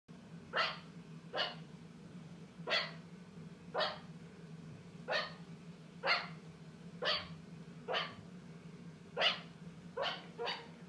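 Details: A meerkat on its second day in a new home gives sharp, dog-like barks, repeated roughly once a second over a steady low hum.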